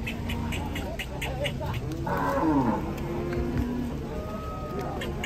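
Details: Cattle coming down from a truck during unloading, giving low, drawn-out moos with a steady layered tone, one call sliding downward midway, over voices and general bustle.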